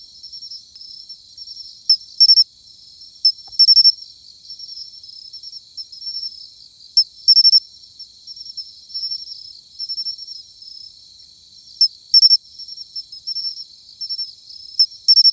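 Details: Autumn song of a matsumushi cricket, a repeated high metallic chin-chiro-rin: quiet sustained ringing punctuated every few seconds by loud clipped bursts of two to four bright pulses, otherwise quiet background.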